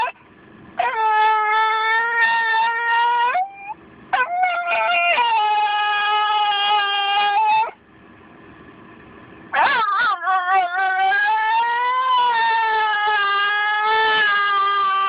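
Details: A white female Miniature Schnauzer, almost two years old, sings in long, wavering, tuneful howls that slide up and down between short pauses, set off by the "ding" of a car door.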